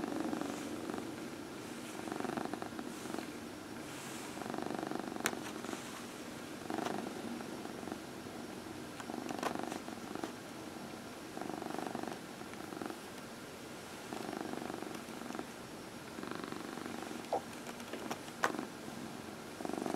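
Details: Early evening lap time with Dinah, a 14-year-old female cat getting her nightly massage: continuous rumbling purr rising and falling in rhythmic phrases roughly every two seconds, with a few soft clicks indoors.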